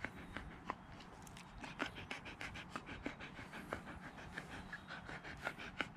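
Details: Siberian Husky panting rapidly, quick regular breathy huffs with sharp clicky peaks, close and clear over a quiet room background.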